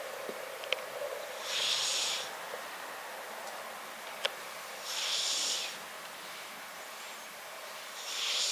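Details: Close-up snoring of Riki-chan, a brown tabby-and-white house cat: airy, hissy breaths recurring roughly every three seconds, with a few faint clicks between them in a quiet room.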